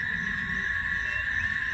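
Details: A cicada sings a steady, unbroken high buzz on one even pitch, heard along a rural lane in Jaíba, Minas Gerais, Brazil.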